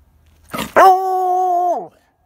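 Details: A Redbone Coonhound bays at a squirrel she cannot catch, voicing her disappointment in a single long, mellow bay that holds steady and drops away at the end.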